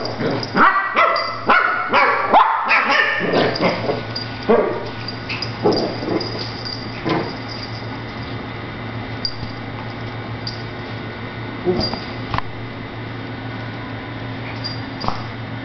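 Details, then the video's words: Shih Tzu puppies Cupcake and Monkey instigating little play fights with each other; rapid volley of shrill yips and barks for the first few seconds, then scattered single barks and soft scuffles, a person's voice briefly heard. "Shih Tzu Pups having fun"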